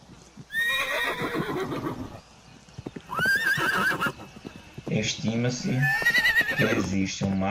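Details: Neighing horses from a galloping herd: loud whinnies with rising and falling harmonics, the last seconds filled with rapid pulsed snorting or whinnying bursts.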